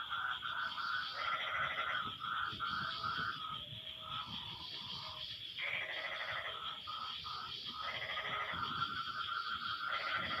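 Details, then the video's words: Several frogs calling back and forth after the rain has stopped: rough, nasal, pulsed bursts lasting one to two seconds that overlap and answer one another. A steady high-pitched insect-like drone runs throughout. "Suara Kodok No Copyright sangat MERDU saling BERSAHUTAN"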